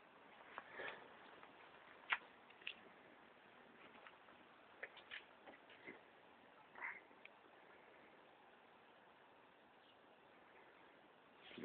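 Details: A two-weeks-pregnant New Zealand White rabbit doe, sick with Pasteurella, sneezing: several soft, short bursts scattered over the stretch, the clearest near the start and middle, in a quiet indoor setting.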